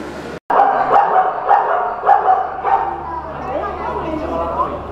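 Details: Seven-year-old male Grant's zebra, newly arrived at a zoo in Sapporo from Asa Zoo in Hiroshima, kept alone indoors on its first public day, 1 August 2017; a run of sharp yelping barks about every half second, then a wavering drawn-out tail.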